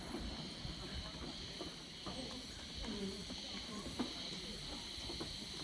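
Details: Cicadas singing unusually early in the season, on a Sunday, the first day of Golden Week, at a lodge by the Fukiage dunes; a steady high buzzing drone without pause, with faint scattered knocks and rustles beneath.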